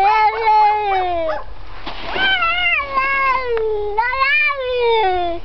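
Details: Domestic cat said to imitate a dog barking in the background: long, drawn-out, wavering meow-like cries sliding downward in pitch, three main calls with a brief noisy break between, indoors.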